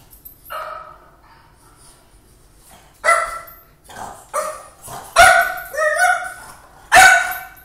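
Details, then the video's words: French Bulldog indoors barking at his own reflection in a refrigerator and at himself on a screen; about six loud, harmonic barks, some doubled, spaced unevenly over several seconds after one softer opening yelp. "French Bulldog barking at video of himself, barking at reflection in refrigerator"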